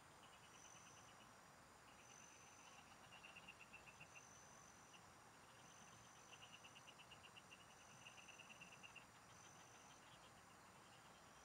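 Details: Frogs calling from farm fields while someone fishes: loose series of quick pulsed trills, several overlapping runs of ticking notes, set against a faint, steady high-pitched buzzing of insects and low ambient noise.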